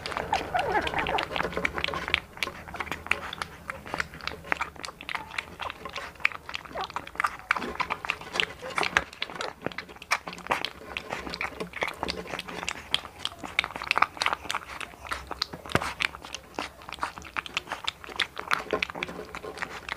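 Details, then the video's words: One-month-old blue American Bully puppy named Hunter, born November 18, 2019, in the Philippines, eating indoors in a small room: steady wet chewing and sharp crunchy bites scattered densely across the whole stretch, with no pauses longer than a moment. "1 MONTH OLD AMERICAN BULLY MUKBANG (ASMR)"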